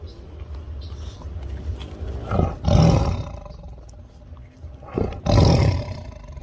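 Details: Tiger, described as angry and attacking, giving two deep rasping roars about three seconds apart, each a brief loud burst with growling undertone, over a low rumbling background.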